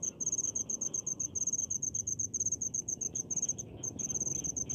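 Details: A cricket chorus from countryside rice fields: high, evenly pulsed chirps grouped in quick runs with short breaks, over a faint low background murmur.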